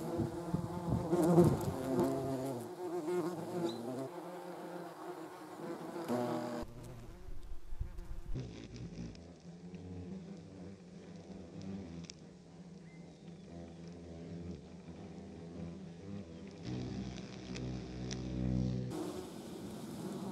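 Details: Buzzing German wasps (yellow jackets): a rich, low harmonic hum that swells and fades, with abrupt shifts in loudness and tone as the insects move about.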